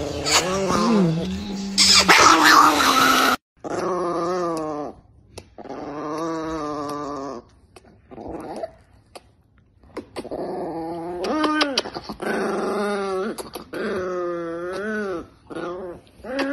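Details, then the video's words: Angry Chihuahua growling in long, wavering, whiny rumbles that rise and fall, pausing briefly between bursts; a loud noisy burst opens the sequence and laughter follows. "The most Angry Chihuahua in the world"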